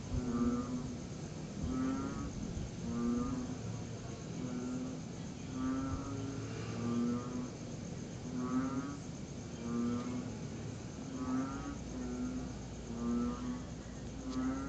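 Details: After rain on a September 2021 night, a group of tree frogs gives short, low, honking notes in an uneven alternating rhythm, about forty-four per minute, with a constant hiss and faint low rumble behind them.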